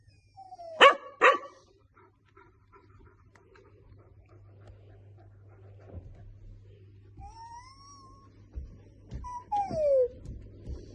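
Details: A three-month-old female golden retriever puppy gets vocal when her owner makes funny noises: two sharp little barks, then high whining whimpers that rise and slide downward.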